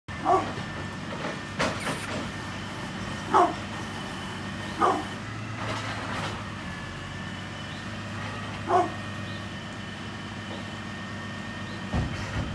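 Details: Brindle pit bull, 9.5 years old, giving short, sharp single barks at irregular intervals, about five across the stretch, some spaced a few seconds apart, over a steady low droning hum in the background.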